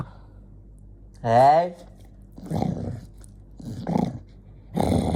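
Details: Jonggi the dog, angry: a brief wavering, tonal vocal sound gives way to three rough, noisy growling bursts spaced about a second apart, indoors in a quiet room.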